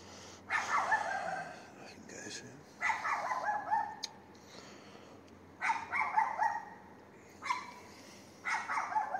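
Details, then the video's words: Neighbour's dog barking at night, 22:30 on 18 May 2021, on a street in Castelldefels; five sharp bark bursts, some doubled, spaced irregularly about every two seconds over a quiet background. "perro vecino ladrando a las 22:30"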